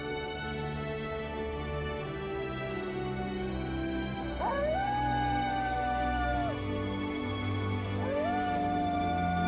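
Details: A coyote in Yellowstone howls twice, each time sliding up and then holding a long, steady wavering note over music.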